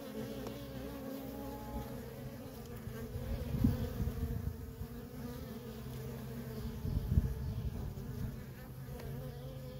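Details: Busy traffic of worker honey bees at a feral colony, a constant hum overlaid by louder low rumbling bursts around four and seven seconds, likely bees passing near or wind.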